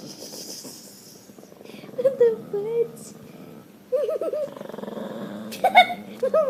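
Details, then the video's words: Pet dogs making weird noises: wavering, whiny howls and yodel-like cries that bend up and down, coming in short bursts with pauses between them, with faint human voices in the background. "Dogs making weird noises"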